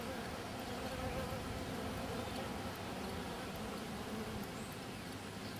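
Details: Honey bees at the landing board of their hive, where a praying mantis hangs eating one of the bees; a steady, low, droning buzz runs throughout, with faint scattered high ticks above it.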